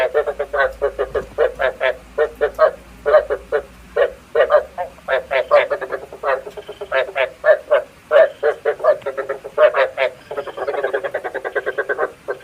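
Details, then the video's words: Frog croaking meant as bait sound for night trappers: dense, continuous rasping croaks in rapid rhythmic pulses, grouped in twos and threes, with a brief smoother tonal patch near the end. "Tiếng ếch mồi chuẩn 99,99%"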